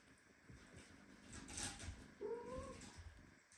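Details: Premature kitten squeezed tightly by a mother cat in a house with several kittens. A single short, slightly rising meow comes late, over steady rustling and hiss.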